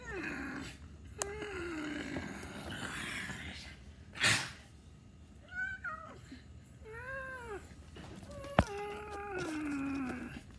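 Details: Domestic cat meowing repeatedly indoors: several curved, rising-then-falling meows and a long descending one at the end, broken by sharp clicks and a loud noisy burst.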